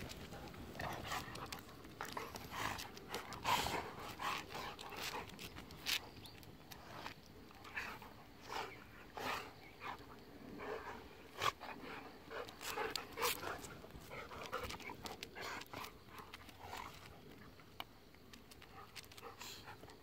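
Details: Golden retrievers Kohaku and Ibuki wrestling affectionately on an October morning, biting while playing together; irregular bursts of snorts, huffs and scuffling thuds, louder around the middle, with brief pauses between scuffles.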